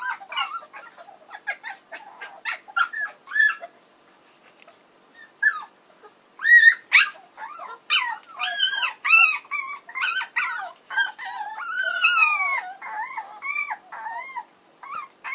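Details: A litter of puppies, offspring of the dogs Edhel and Berry, keeps up a steady chorus of thin, whining squeals and yips. Bursts come in quick succession, growing denser and louder midway, with arched, bending notes overlapping near the end.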